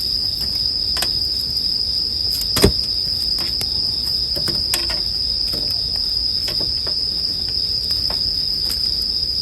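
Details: Bell crickets sing a sustained high ringing note alongside a crackling campfire; repeated wood snaps sound throughout, with one loud sharp pop just past two and a half seconds.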